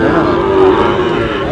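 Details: Sahiwal cattle at a busy cattle market, where a Barishal farmer is buying bulls and heifer calves; a steady, droning moo held under loud bargaining voices of men haggling over prices.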